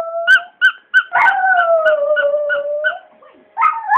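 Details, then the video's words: Archie, a pet Border Terrier, howls as his squeaky toy is squeezed: sharp paired squeaks come first, then one long wavering howl slowly slides downward, with further squeaks at the end. "My Dog Howling at Squeaky Toy"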